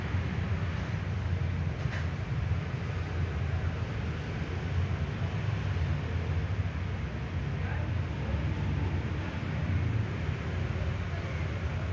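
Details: Steady low rumble of engine or traffic noise fills the whole stretch, with faint indistinct voices and no animal sound.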